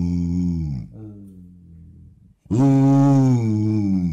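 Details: Basset Hound vocalizing in a morning "conversation": a deep, resonant moan that slides downward and trails off into a quieter low grumble. After a brief silence comes a louder, sustained, slightly rising howl-like moan.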